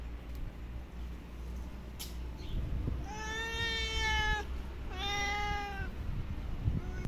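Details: After a quiet stretch with low rumble and a knock, a stray female cat that came running and climbed into a lap gives two clear, drawn-out meows about a second apart, the first longer and louder.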